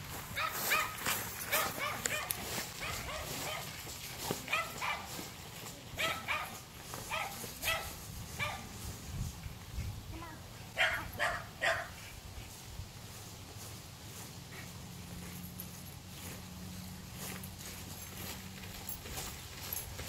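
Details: Alaskan Malamute running alongside a bike ridden by its owner on Halloween day, giving frequent short yipping barks in quick clusters, busiest early on, with a low steady hum underneath.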